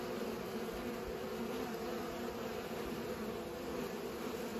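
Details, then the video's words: A continuous hum of bees at work pollinating, low and even, with no pauses or breaks. "Bees pollinate"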